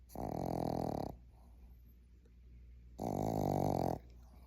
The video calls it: Ivy the Boston Terrier puppy snoring